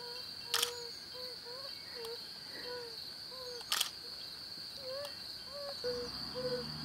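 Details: Male yellow-bellied toad advertising to females from a temporary breeding pool: gentle, low 'ouh' notes given irregularly, with two loud camera-shutter clicks and a faint constant high whine.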